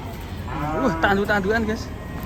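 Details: An enraged cow, taken from a compilation of raging cattle. Brief, bent, wavering lowing rises then dips in a few quick strained bursts against faint hiss.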